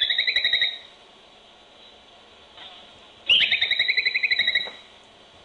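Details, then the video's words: Groundhog, or whistle pig, picked up by a baby monitor in a barn close to its burrow. Two bursts of shrill, rapidly pulsed whistling: a short one, a pause, then a longer trilled run, over faint background hiss. "Groundhogs-Sounds of Whistle Pigs"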